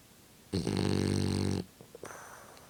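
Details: French Bulldog snoring while blowing bubbles: one loud, buzzy, rasping snore lasting about a second, deep and rich in overtones, followed by faint snuffles and a softer breath starting.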